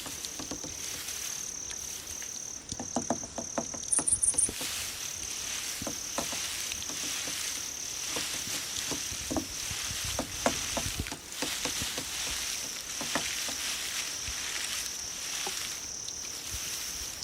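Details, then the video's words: Grass insects for attracting cats, keeping up a constant piercing high trill, with a short burst of rapid pulsed chirps early on and intermittent light clicks and patter. "풀벌레 울음소리"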